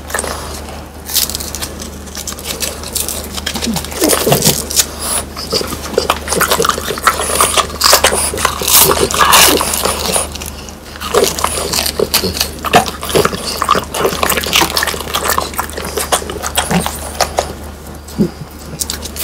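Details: Dense crackling and bone-crunching as the French Bulldogs Pang, Kun and Ppo eat crispy dried whole quail. Bright snapping bursts come in quick irregular runs with brief quieter gaps.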